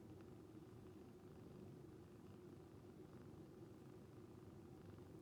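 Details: Calico rescue cat purring like snoring while asleep and relaxing; a soft, steady, low rumbling purr that continues without a break, very quiet and close.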